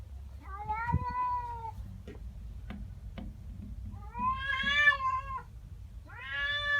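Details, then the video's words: Female pet cat unhappy about a neighbouring cat in the garden, morning: a level drawn yowl, a few soft knocks or clicks, then a louder arching wail that rises and falls, and another yowl starting at the end. "Cat doesn't like the neighbour cat. FUNNY WEIRD CAT NOISES!!"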